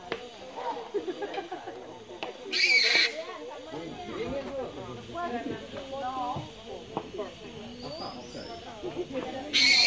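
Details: Large flying foxes in Bali, hanging in a tree by day, chatter and squabble in harsh, wavering calls, with a few loud rustling bursts.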